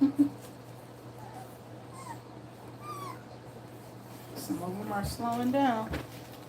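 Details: Two-week-old German Shepherd puppies nursing: thin rising squeaks at intervals, then a louder burst of layered whining squeals near the end, with a person talking and a steady low electrical hum throughout.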